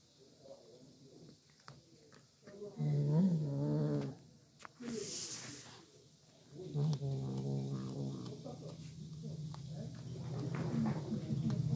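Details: Cat eating chicken, giving low harmonic growling murmurs in two bursts of about one and a half seconds each, over a steady low rumble that builds toward the end, with faint human voices and a short noisy rustle in between.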